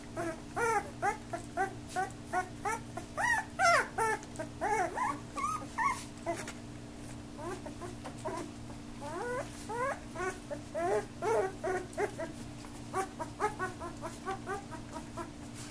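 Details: Young puppies becoming active, playing and mouthing each other, making a steady run of short rising whimpers and yips, roughly two or three per second, over a constant low electrical hum.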